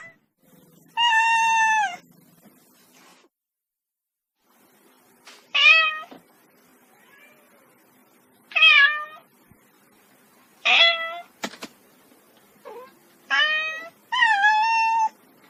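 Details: Domestic cat giving six separate harmonic meows spaced a few seconds apart, some steady and some with a falling end, with a sharp click near the middle and a quiet room background.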